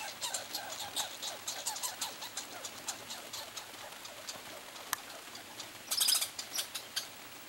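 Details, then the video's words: Pine squirrel, one of two squirrels competing for peanuts on a summer vacation, giving rapid dry clicking chatter in uneven bursts, with a sharper, louder flurry near the end. ""Duelling" Pine Squirrels"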